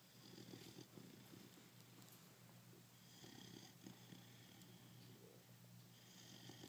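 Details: A five-month-old pit bull named Bobo snoring while asleep: low, steady rasping breaths rising and falling in slow cycles, with a faint hum underneath.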